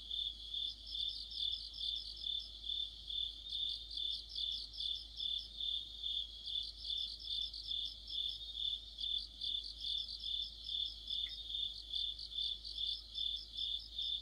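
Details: Mid-autumn chorus of crickets and fellow insects by a streetlamp; shrill continuous ringing overlaid with rapid pulsed chirp bursts, about 140 per minute, several insects calling together, quiet background.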